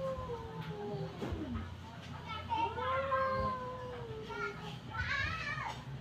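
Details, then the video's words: Cats yelling at each other in a fight, trading drawn-out whining yowls that slide up and down in pitch, partly masked by a constant low hum and background noise. "cats yelling each other"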